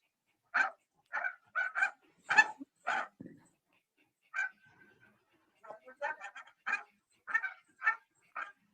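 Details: Female Pembroke Welsh Corgi with degenerative myelopathy barking at a cat below the back patio, her bark fading from the disease. Sharp barks come in quick bursts, about fourteen in all, with a brief pause midway.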